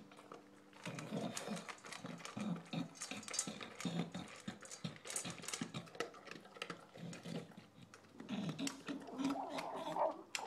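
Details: Adopted English bulldog gobbling its dinner, making sloppy, heavy chomps and snorty breaths in quick uneven bursts, with a human voice faintly in the background.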